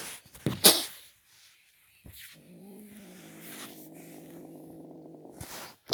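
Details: A small Belgian kitten growls at the camera indoors: a low, steady, rumbling growl held for about three seconds, preceded by a few sharp handling noises.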